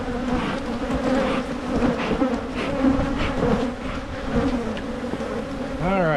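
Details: A colony of honeybees hums loudly while a beekeeper splits hives in Michigan to head off swarming. The low drone stays even and thick, and a brief rising whine comes in at the very end.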